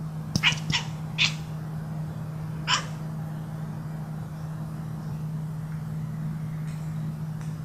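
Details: Pet cat during play with its owner, giving four short, sharp, bright bursts within the first three seconds, then falling quiet; a steady low electrical hum runs underneath throughout.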